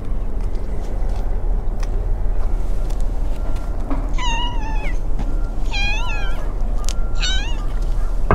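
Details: An abandoned tabby kitten in a park with a large pond, slightly under the weather and very clingy toward people, gives three clear, drawn-out, slightly wavering meows a second apart over a steady roar of wind or distant traffic.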